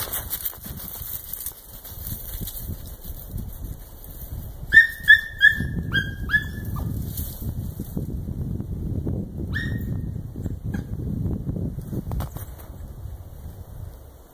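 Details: German wirehaired dachshund hunting cottontail rabbits, giving voice on their scent trail (spurlaut), heard as a quick burst of about six high, sharp yelps, then a lone yelp later, over rustling footsteps and brush.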